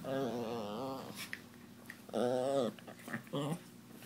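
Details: Chihuahua, jealous while her owner's boyfriend gives a Doberman attention, makes wavering, moaning growl-whines in long drawn-out bursts with a few short yips between; a cat is also present.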